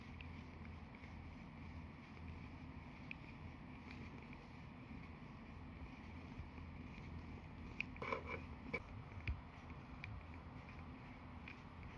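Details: Quiet low hum and faint wind-like noise with a few soft clicks and knocks near the end, and no animal voice.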